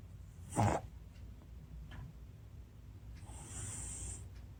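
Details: Shii-chan, an American Shorthair cat, snores while sleeping comfortably: one loud snorting breath near the start, then quiet low breathing, with a faint steady high hiss later on.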